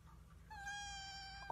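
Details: Domestic cat, one of the funny talking cats, gives a single drawn-out, steady meow. It starts after a short pause and holds level for about a second over a low indoor hum.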